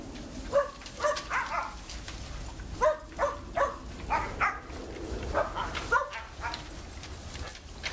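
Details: Big dogs playing in a pool on 6/8/11 give a run of sharp, ringing barks in quick bursts of two and three. Several barks overlap, with splashing and faint murmur beneath.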